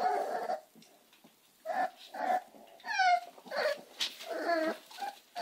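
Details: Amstaff pups whimper in drawn-out, wavering cries, one rising then sliding down in a sweeping whine, with breaks of near silence between the calls.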